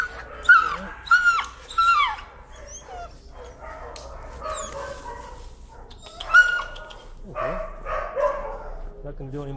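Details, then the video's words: Dog sensitive to leash pressure screams and protests on a walk: repeated piercing, harmonic yelps in quick runs, then a pause and another burst, with a person speaking between. "Timid dog, afraid of leash, screams and protests."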